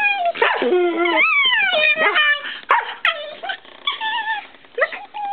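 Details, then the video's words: Shiba Inu and Siberian Husky at play beneath a kiddy bed give sliding, nasal whimpers and warbling yowls that rise and fall. Brief yips and pauses separate the calls. "Strange Shiba Sounds"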